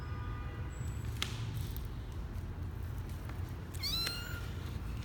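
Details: Twelve-day-old male kitten Misoka on his first adventure outside the box, January 12, 2020, gives a single short, high, bending squeak near the end, preceded by faint clicks and a constant low background hum.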